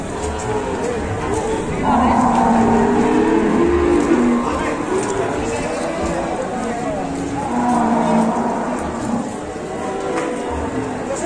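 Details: Cattle giving two long, wavering moos several seconds apart, low and harmonic-rich, with murmured voices and background noise.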